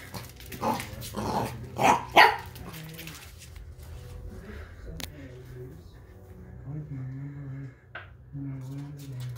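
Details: Playing under furniture, an 11-week-old Pembroke Welsh Corgi puppy lets out a rapid run of four yappy barks within the first two and a half seconds. A person then speaks calmly for the rest.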